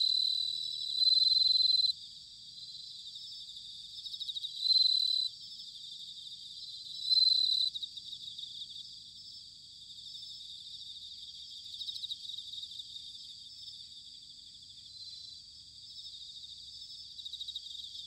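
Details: Bell cricket in Sanuki, Chiba, Japan, during autumn: loud ringing trills of one to two seconds repeated every few seconds, then shorter chirps, all over a steady high-pitched insect chorus.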